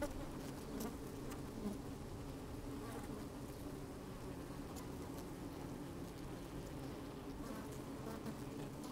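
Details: Honey bees at work in an open hive, sunny day with a bit of wind, microphone inside the hive; an even low hum with scattered faint clicks and occasional soft buzzing.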